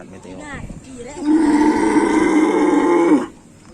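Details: Cattle of a Karapan Sapi racing bull team in training, one long steady moo lasting about two seconds with a rich harmonic tone, preceded by brief speech and followed by quiet.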